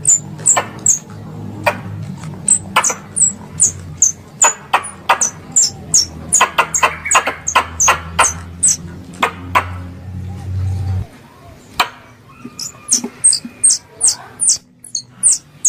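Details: Squirrels calling, from a combined lure recording used in hunting: long runs of piercing squeaks and snapping clicks, dense and uneven, with a low hum that stops near eleven seconds before the squeaking resumes more sparsely.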